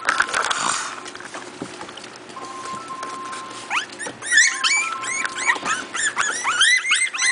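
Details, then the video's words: Four-week-old Miniature Pinscher puppies from a new litter at play: a few seconds of rustling and low shuffling noise, then a rush of high, arching squeaks and yelps from several pups overlapping in quick succession. "MIN PIN MINIATURE PINSCHERS PUPPIES PLAYING"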